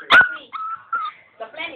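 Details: Silky Terrier dog; a sharp yelp followed by short high whining tones that slide slightly, then a rougher muffled whimper at the end.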